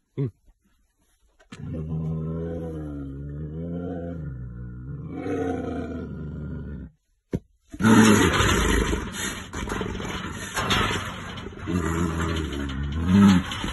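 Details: Aggressive caged brown bear reacting to a person: low, harmonic groaning growls rising and falling for several seconds, a short break, then a loud, harsh, noisy roar with a second, shorter growling burst near the end.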